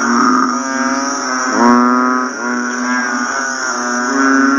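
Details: Banded bullfrogs croak after rain: overlapping, deep, humming moo-like calls form a steady droning chorus. Several individual calls start sharply, then settle into long tones, while a constant shrill hum sits high above.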